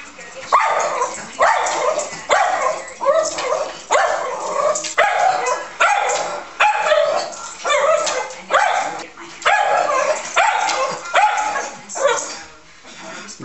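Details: Woody the Schnauzer, excited by dogs and other animals on TV and jumping at the screen, gives sharp yappy barks in bursts roughly once a second, a dozen or so in a row, over faint television sound.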